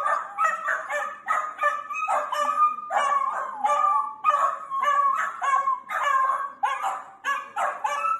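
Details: Playful miniature sausage dog, a Dachshund puppy, keeps up a steady, insistent series of high whining yips, each rising then falling, coming in bursts about every half second to second, with no other sounds.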